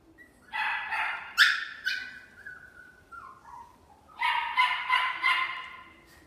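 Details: Long-haired Chihuahua at a pet shop in Fuji, Japan: a cluster of high, sharp yips, then a thin, falling whine, and after a pause another run of quick, bright yips.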